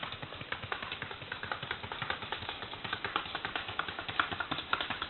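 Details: Paso Fino horse named Carpintero: rapid, crisp clip-clop of hooves, a dense run of sharp, even taps continuing without pause through the whole stretch, with no other clear sounds.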